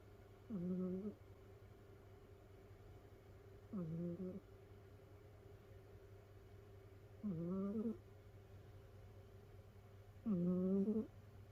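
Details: Snoring domestic cat asleep indoors, one of several rescued cats piled together, whistling right beside another cat's ear: four nasal, whistly snores, each under a second and rising slightly, about every three seconds over a low hum.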